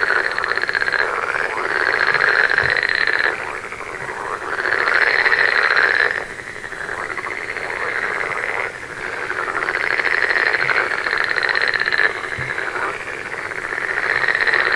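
A dense chorus of frogs croaking in rapid, rattling pulses that swell and fade in waves.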